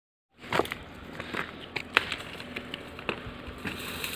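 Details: Crackling and rustling with scattered sharp clicks over a steady hiss; no animal voice is heard.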